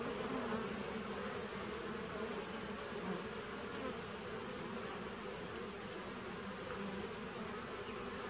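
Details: Steady massed buzzing of bees in a 2017 nuc colony on 19 September 2018, a dense hum with a slightly fluttering texture and a thin high tone running over it.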